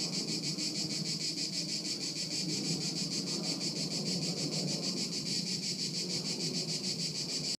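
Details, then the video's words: Crickets chorusing at Haut-de-Cagnes in 2013: a dense, continuous high trill of rapidly repeated pulses, unbroken throughout, over a low rumble of wind-like background noise. "Haut de Cagnes en Grillons 2013"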